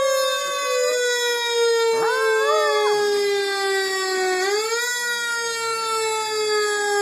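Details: Pet Chihuahua named Bambi howling at a fire truck siren: a brief wavering, rising-and-falling howl of about one second over a loud, steady, slowly sliding siren wail that dominates throughout.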